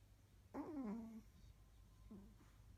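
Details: Chihuahua snoring while asleep in an odd position: one longer nasal, tonal snore that slides downward, then a shorter softer one about one and a half seconds later, in quiet indoor surroundings.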